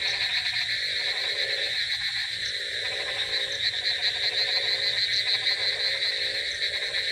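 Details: Frogs croaking on a rainy night: a dense chorus of overlapping pulsed, rattling croaks, rising and falling in waves every second or two, over a steady high-pitched buzzing drone.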